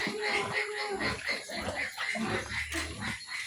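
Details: Sow on a farm giving rapid, repeated grunting and squealing notes, roughly two per second, over steady background noise.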